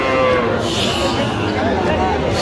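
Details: At a cattle market on 17 October, Sahiwal bull calves call as a farmer from Dhaka shops for them; a short, harmonic moo with a falling pitch, set against loud market chatter.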